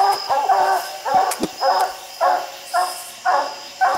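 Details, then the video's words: A hound bays up a tree holding a raccoon on a steep hill, about seven ringing, drawn barks spaced half a second apart, with a sharp snap of brush in between. "Coons everywhere treed the furthest coon up a steep hillside"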